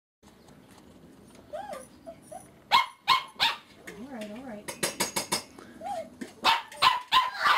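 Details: Seven-week-old puppies from a litter, filmed in the afternoon. Thin rising-and-falling whines, then a burst of sharp, yappy barks in quick succession. A woman coaxes them with "come on, puppy" and laughs.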